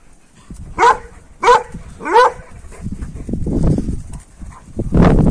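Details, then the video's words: Kangal dog Duman at a village, heard as howling so that a wolf was suspected; three short yelping calls, each rising then falling, roughly 0.7 seconds apart, followed by low rumbling handling noise and a closing thud. "BİR TERSLİK VAR DUMAN GELMİŞ ULUYOR"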